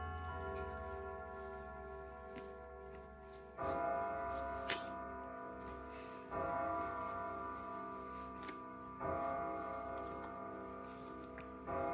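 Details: Music with sustained bell-like tones and steady ticking, swelling in fresh bursts about every three seconds, with no animal voice.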